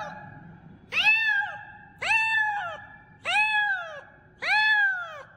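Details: A kitten calling loudly, giving four drawn-out meows about once a second, each rising then sliding down with rich harmonics; steady low background hum in a quiet indoor setting.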